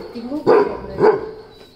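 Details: Weimaraner giving two loud, deep barks about half a second apart during a morning bark-off, after a soft whine, with a faint high steady tone in the background.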